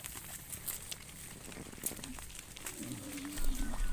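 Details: Cows in open fields, one calling its companion with a single low, sustained moo near the end. Faint rustling and a soft outdoor background sit beneath it.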